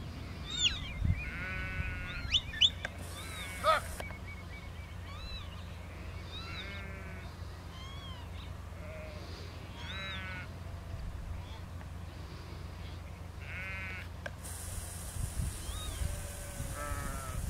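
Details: Sheep in a field being worked by a four-year-old border collie, with a lamb; repeated short, wavering bleats from several animals overlap through the scene, some high and thin, over a steady low rumble of wind and handling noise.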